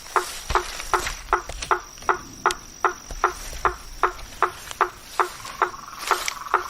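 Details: A blacksmith tree frog calls from a marsh after dark, striking sharp hammer-like knocks at an even pace of roughly two to three per second, with a faint insect hum underneath.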